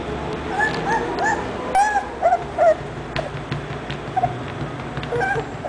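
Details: Whining English Bulldog: scattered short, high whimpers with a few sharper yelps in the middle, separated by gaps of low background noise.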